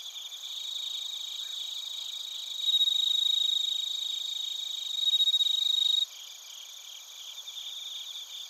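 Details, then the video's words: Bell crickets and other crickets in Narita, Chiba, Japan, recorded on a TASCAM Portacapture X8: a dense high shimmering chorus with a closer, louder pulsed trill swelling twice over a steady ringing tone, then dropping back. "スズムシとコオロギの鳴き声 - Chirping of crickets"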